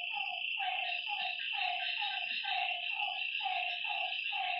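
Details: Night frog calls at a lakeside: a steady run of roughly a note per second, each a short harmonic croak that drops slightly in pitch, backed by an unbroken high, hissing insect-like chorus.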